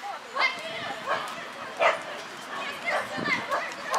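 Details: Russian Toy running an A3 agility course: sharp high yapping barks about every half second to second, mixed with a person talking and calling out over the run.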